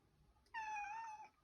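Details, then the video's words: Cat demanding access to the fridge, one clear sustained meow lasting under a second, steady then slightly falling in pitch, in a quiet indoor room. "Cat demanding access to the fridge"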